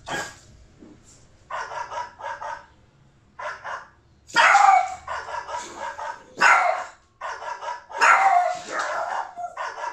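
A Boston Terrier puppy gives sharp, loud barks in answer to quieter barking from other dogs.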